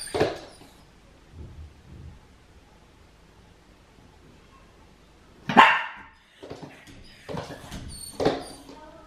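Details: Female Miniature Pinscher left home alone indoors, barking from separation anxiety: a single sharp bark, a long quiet stretch with faint shuffling, then three more high, clipped barks spaced a second or two apart.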